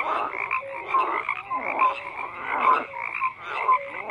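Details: Frogs croaking in rhythmic bursts about once a second, rough pulsed calls overlapping with short rising tonal notes from other frogs.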